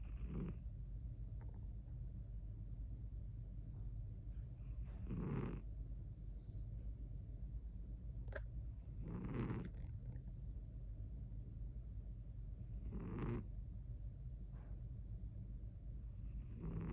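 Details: Muffin, a pet cat, sleeping in Dubai. Soft breathy snores come about every four seconds over a steady low rumble, each a brief hissing burst.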